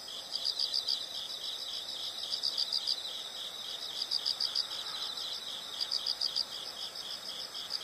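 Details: Insects heard as a soothing nature recording: high, evenly pulsed chirping in groups of bright beats recurring about every one and a half seconds above a steady shrill drone.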